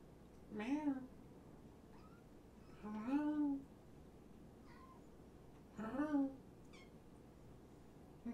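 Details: Kittens from two litters surrendered in Tacoma, now at Purrfect Pals, indoors during a late-night visit: three loud, rising-then-falling meows about every two and a half seconds, with fainter squeaks between and a quiet room hum.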